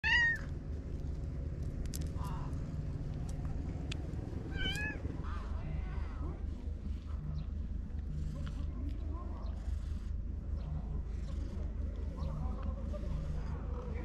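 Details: Stray cats in a park at dusk, a pink-nosed cat with a trio of young rascals relaxing together in Japan; several short rising meows in the first five seconds, then quieter faint mews over a steady low hum.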